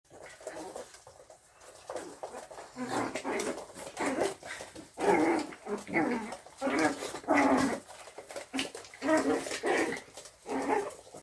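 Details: An angry Chihuahua indoors gives rough, growling barks in uneven bursts that grow louder after a quiet start. They recur roughly every second or two, with some faint speech in the background.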